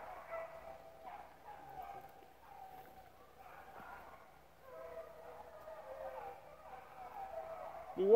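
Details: A pack of rabbit dogs, pups among them, chasing rabbits at the Relay Hunt club, gives a continuous chorus of drawn-out bays and yelps at middle distance, with men's voices talking over it and a sharp loud cry at the end.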